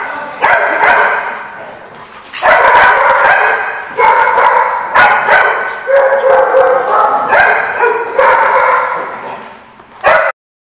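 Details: Dogs barking loudly in sustained overlapping bursts, several harsh barks and yips running together almost without pause, recorded 10 April 2015 at a lot.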